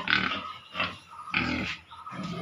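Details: Pigs at a piggery making repeated harsh grunting calls, about four bursts in under three seconds, each noisy and broadband with a low throaty base.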